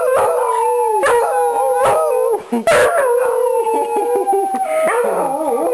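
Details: Three Beagles, mother Daisy with Conan and Princess, join in a howling chorus when their owner gets home. Sustained, wavering tones overlap continuously with a few short breaks.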